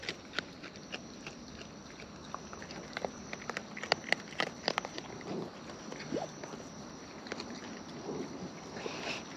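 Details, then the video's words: Wild raccoons filmed close up while eating, giving natural chewing sounds: sharp, irregular crunching clicks and bites scattered through the stretch, with a soft steady outdoor hiss behind them. "Wild Raccoons & ASMR Chewing Sounds"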